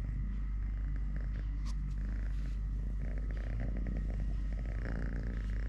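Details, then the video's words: Three-legged domestic cat named Totoshka purring continuously during play and feeding; deep, even rumbling purr with soft irregular pulses, plus light scratchy handling noises and a faint higher rasp near the end. "10 MINUTES of LITTLE GREMLIN PURR PURR | Having Food, Playing, Walking, Fighting with hand, purring"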